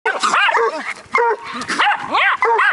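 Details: Bluetick Coonhound pup barking at a raccoon alongside a Jack Russell terrier: a run of loud, ringing, arched barks, several per second with short gaps, and a man briefly praising the dog.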